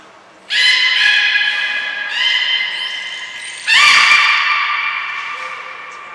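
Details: Belugas Hodoi, Gray, Nana and Niko in a training session at Port of Nagoya Public Aquarium on 5 June 2021: three strong, buzzy-harmonic calls in quick succession, each starting abruptly and tapering off, with a brief high whistle between them.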